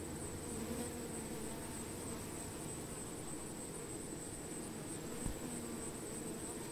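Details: Honey bees around plants, a low continuous droning buzz that swells and fades slightly under a dense hiss, with a steady thin high whine running throughout and a brief soft knock near the end.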